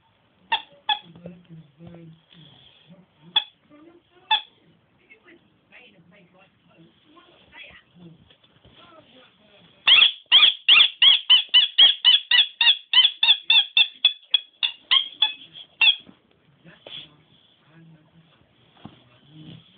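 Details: Nemo, a dog that squeaks instead of barking, lets out a fast run of about twenty high, thin squeaks in quick regular succession over roughly six seconds, after scattered softer squeaks and faint background voices indoors.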